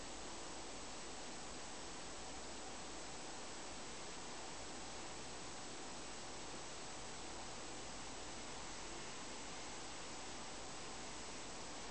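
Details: Steady broadband hiss fills the whole stretch, like pink noise or a running fan, with no voices or animal calls.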